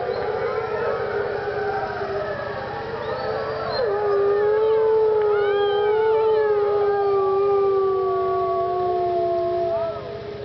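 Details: Pack of wolves howling at Parc Oméga: overlapping long howls at different pitches, a low steady tone under higher voices that rise and fall and glide smoothly, fading at the end as a person briefly speaks.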